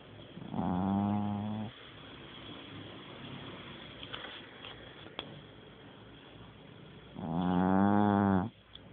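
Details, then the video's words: Dog asleep and snoring, two drawn-out harsh snorts roughly six seconds apart, each lasting over a second, separated by soft low breathing and a faint click. "狗狗打呼Snoring Dog"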